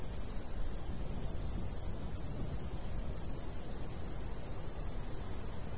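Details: Several crickets calling in the countryside in summer near a golden wheat field, their high chirps overlapping unevenly, some doubled, against a steady low wind noise.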